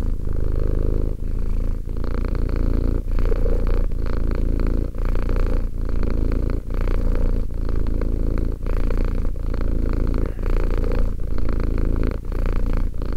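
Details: Two-year-old domestic cat purring steadily, a deep continuous rumble with brief dips at each breath change, roughly every one to two seconds, throughout the recording.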